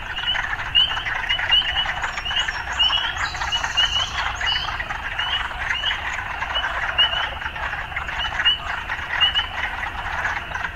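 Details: Chorus of urban frogs with quick upswept croaks repeated in runs over a constant trill, a short bird twitter partway through, faint low urban rumble.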